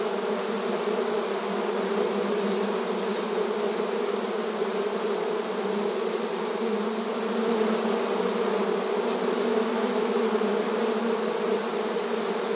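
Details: Beehive entrance activity of honey bees: a constant swarm-like buzz, deep and steady, with many overlapping wingbeats and no pauses.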